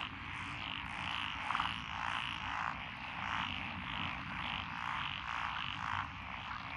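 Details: A rural frog chorus over lotus paddies in Echizen, Fukui Prefecture, recorded 12 June 2021, with tree, pond, wrinkled and green tree frogs together. Overlapping croaking swells in waves, a short rattling burst stands out early, and low rumble sits underneath.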